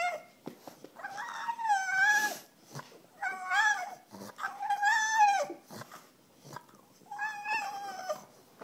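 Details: A female pet French Bulldog begging for her bone gives four drawn-out, high, wavering whines. Each lasts about a second and bends up and down, with short quiet gaps between them.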